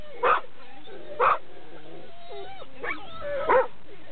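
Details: A Labrador Retriever, noisy when approaching the dog run, gives a few sharp barks about a second apart, with a wavering whine between them.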